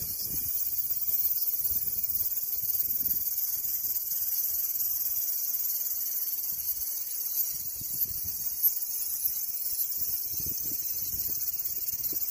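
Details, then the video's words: Cicada: a steady, dense, high-pitched buzzing drone, unbroken for the whole stretch with an even loudness and no pauses, plus faint low rumbling underneath. "Cicada Sound"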